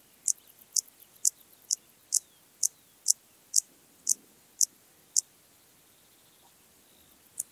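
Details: Dociostaurus brevicollis, the Intermediate Cross-backed Grasshopper, in Zalahalap, Hungary, July 2022: a run of about eleven crisp high chirps spaced about half a second apart, stopping, then a single final chirp.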